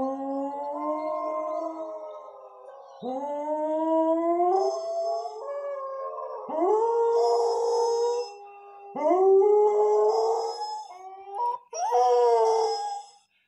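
A Cocker Spaniel howls in long, rising, wavering notes, pausing briefly between each drawn-out cry.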